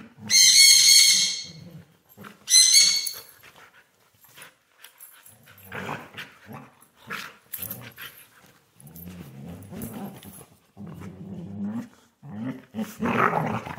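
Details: A Siberian Husky at play on a couch opens with two loud, high-pitched squealing yelps, then moves to stretches of rumbling, uneven growls and grumbles. The last growl is louder and rougher.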